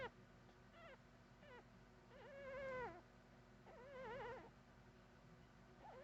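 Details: Puppy whining softly in a few wavering, quavering cries with rich harmonics, two longer ones rising and falling around the middle, over a low steady hum.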